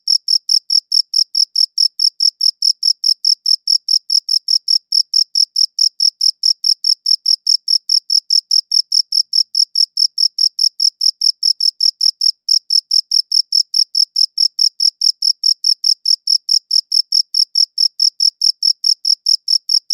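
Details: Continuous cricket chirping recorded on a good audio recorder. Rapid, regular high-pitched chirps come about four per second for the whole stretch, with a couple of tiny breaks. The background is quiet.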